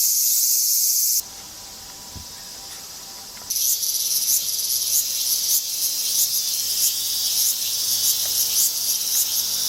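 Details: Cicadas singing loudly on a summer day in suburban Tokyo, Japan, in August: a dense, hissing high-pitched drone with rapid pulsing, starting strong, dropping to a quieter level, then swelling again with rhythmic throbs.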